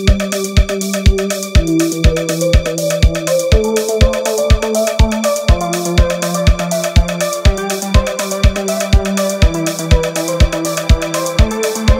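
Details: Electronic dance music with a steady pounding beat at about two per second and bright synth chords, with no animal sound.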